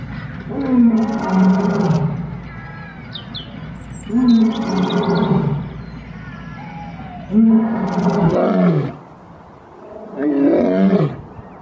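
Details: Lion roaring in the jungle: deep, harsh calls that sweep downward, each lasting about a second and coming in spaced bursts roughly every three to four seconds, with rough noisy edges and quieter gaps between.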